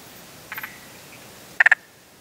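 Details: Spotted grass frog giving two brief bursts of about three quick knocking pulses each, the second louder, separated by a second of quiet background hiss.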